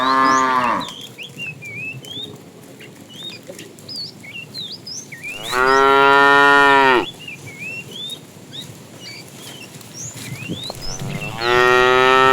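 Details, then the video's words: Cows roaming a road in search of food give loud, drawn-out harmonic moos, three calls spaced about five seconds apart, amid a chorus of chirping and whistling birds. "Tame cows roaming the road looking for food, Funny cow sounds"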